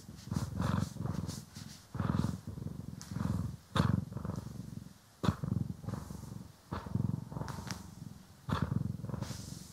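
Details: Domestic cat Poki or Kiwi purring while being groomed and brushed indoors, recorded in stereo; low rumbling purr in pulsed bursts about every one to two seconds, with soft brushing strokes between.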